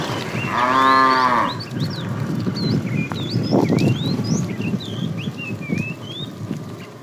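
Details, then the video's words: Tame cows on a road looking for food; a short harmonic moo opens, followed by busy bird chirps and rustling, shuffling noises. "Tame cows roaming the road looking for food, Funny cow sounds"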